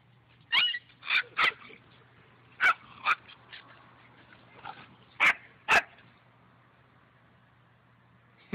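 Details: German Shepherd puppies while swimming give sharp, loud barks, mostly in quick pairs at about 0.6, 1.1 to 1.4, 2.7 to 3.1 and 5.3 to 5.7 seconds, over a steady low hum.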